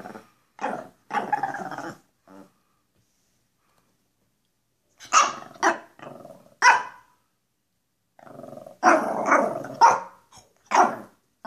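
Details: Pekapom pair Stella and Moose clowning around for the camera, letting out short, harsh barks in scattered clusters with growly edges and quiet gaps between bursts.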